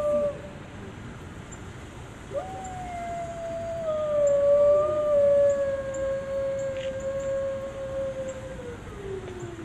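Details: A gray wolf at a zoo in DC gives a long, steady howl that holds its pitch, then slides down at the end.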